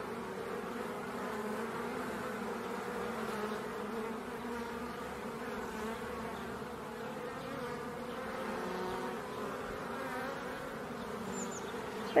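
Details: Steady drone of honey bees active around an octagonal refuge hive on a cool, sunny March morning, not aggressive since they are left undisturbed; the dense, even humming of many bees continues unbroken, with brief nearer fly-bys.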